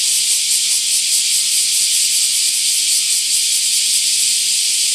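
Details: Loud bear cicada chorus from trees near a bridge in Kōroen's Shukugawa Park, Japan, on 31 July 2013: a steady, shrill, hissing drone with a rapid, fine pulsing texture throughout.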